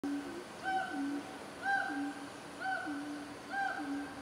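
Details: Siamang (Symphalangus syndactylus) calling in the North Sumatran jungle, Indonesia, giving clear hooting notes repeated about once a second in a steady series.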